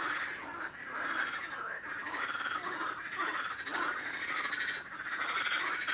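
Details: Dense frog chorus of overlapping croaks and trills, steady and continuous, with a short hissing burst partway through.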